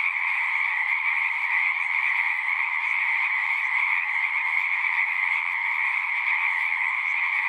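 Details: Singing frogs crowd a pond in a horse pasture, recorded on a Zoom unit, their steady, dense chorus of rapid trills forming a continuous two-toned hum with no breaks.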